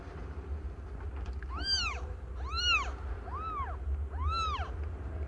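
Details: Aimee, a domestic cat not yet one year old, giving birth to five kittens: four clear arched meows, each rising then falling, spaced roughly a second apart over a steady low rumbling hum.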